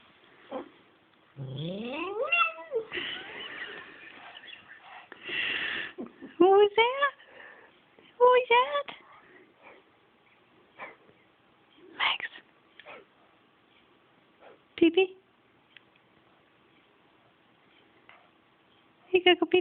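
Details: A pet pug making meow-like sounds: several rising, harmonic whining cries that sweep upward, grouped near the start and middle, with a person talking to the dog and giving commands between calls.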